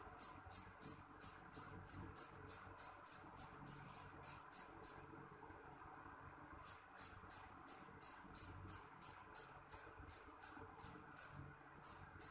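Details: Jangkrik jeliteng cricket chirping loudly: short, bright, high-pitched pulses about three per second in a steady run, then a pause of over a second before the chirps resume; quiet background.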